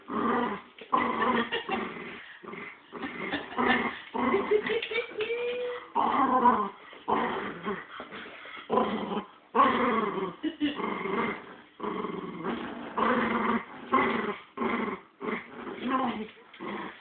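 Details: Two pet dogs fighting over a squirrel toy indoors, with continuous rough growls and snarls in bursts, occasional higher yips and whimper-like whines, broken by brief pauses throughout.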